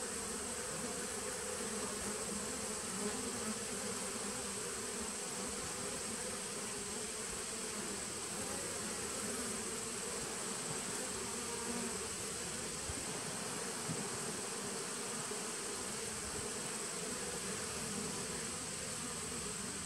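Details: Honey bees of a nuc colony started in 2017, recorded September 19, 2018: a dense, steady droning hum with strong low bands and no gaps, plus a constant thin high-pitched hiss throughout.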